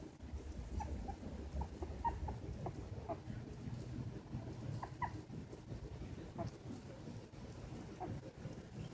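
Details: Two 2.5-week-old silky terrier puppies, Winnie and Chunk, newly able to see and tottering on first steps, give a scattered series of short, high squeaks and whines over steady low-pitched rumbling noise.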